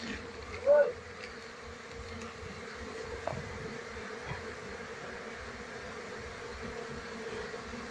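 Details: Asian honey bees (Apis cerana) from a wild colony being transferred to a box during a hunt for the queen; a quieter, even low drone throughout, broken by one short louder burst near the start.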